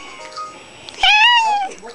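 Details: Kitty, an orange Manx cat annoyed by teasing, lets out a short, clear, slightly falling meow after a person repeatedly calls "kitty kitty" in a quiet room.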